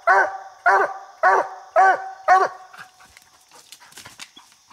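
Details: Coonhound named Bandit barking at a raccoon it has treed on a small tree during a coon hunt: five sharp, ringing barks spaced about half a second apart, followed by near silence with faint rustles.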